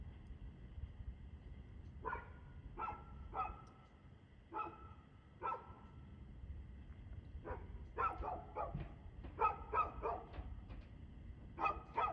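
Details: Dog barking on 2/6/2024 at 6:02 pm: sharp single barks spaced about a second apart, then a faster, denser run of barks in the second half, over a steady low rumble of background noise.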